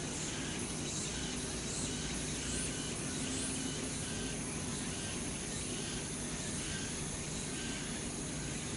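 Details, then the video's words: Cicadas sing in late summer among the trees of Changgyeonggung Palace in Seoul, South Korea. Their chorus forms a dense, steady, high-pitched shimmering drone with faint pulsing throughout, over a constant low rumble in the background. "Singing of Cicadas in Late Summer 늦여름 매미들의 시원한 합창소리"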